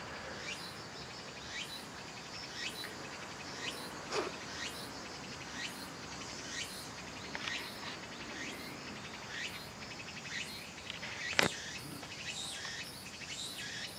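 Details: Tsukutsukuboshi cicada singing in Akane-cho Park on 11 September 2023: a steady chain of short rising buzzy phrases, repeated about once a second, over a hissing background with two sharp clicks.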